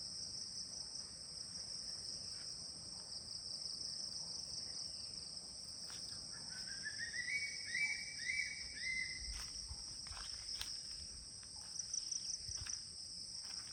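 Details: Morning crickets, calling everywhere at 10 a.m. at the CRP guest house in Kulaura, Moulvibazar, keep up a constant shrill, piercing hum while a bird sings a short run of rising chirps midway, with a few sharp knocks.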